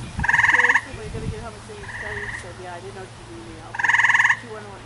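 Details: A male tree frog screaming while its chin swells: two loud, buzzy, rapidly pulsed cries about half a second long, four seconds apart, with a fainter pulsed cry between them. Soft low thumps sit underneath.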